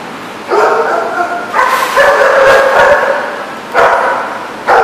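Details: Dogs barking at a dog lot, recorded 22 September 2014; a rough, continuous run of overlapping harsh barks and yips, with more than one dog calling over a steady background hiss.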